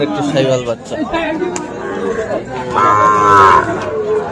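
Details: At Ambari cattle market on 13 November, a Sahiwal bull calf gives a short, bright, tonal moo that swells toward the end, over a bed of talking and crowd noise.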